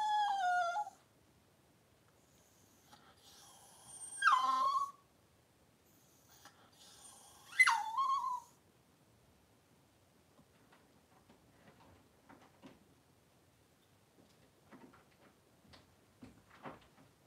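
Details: Cavalier King Charles Spaniel during the birth of six puppies in two hours, mother named Daisy: three high, tonal whines, each sliding downward and lasting about a second, spaced a few seconds apart, then faint rustling and small clicks indoors.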